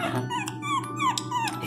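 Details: Pinscher puppy crying loudly while being given medicine: a rapid series of high, falling whines, each sliding downward, with faint indoor hum behind.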